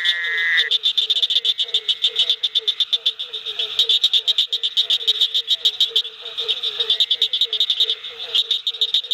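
Low, hollow barking notes from a barking tree frog repeat quickly over a dense, high, buzzy chorus.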